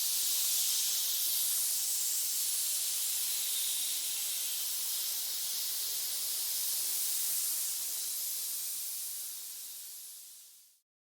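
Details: Snake giving one long, steady, airy hiss that lasts about ten seconds, then fades out quickly to silence; no other sounds.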